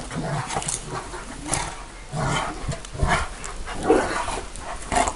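A Bucovina Shepherd Dog gives deep, booming barks at uneven intervals, about once a second.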